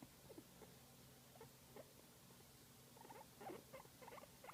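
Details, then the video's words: A guinea pig, apparently enjoying a massage, makes soft, quick squeaks and chuckling chirps over a low, steady rumble. "Guinea Pig Enjoying a Massage and Making Cute Sound"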